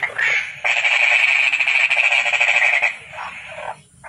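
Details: A single toad trill: a fast, even, buzzing run of pulses lasting over two seconds, then softer fading pulses afterwards.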